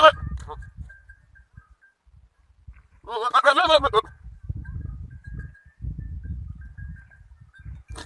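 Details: On a farm with goat kids and a large Kamori goat, a single tremulous, vibrato-like bleat lasting about a second stands out against low background rumble.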